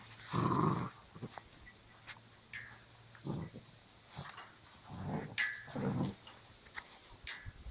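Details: Belgian Malinois puppy playing tug with a rope: short, low, rough growling bursts, one long at the start and several around five to six seconds, separated by quiet gaps with faint scuffling and higher clicks.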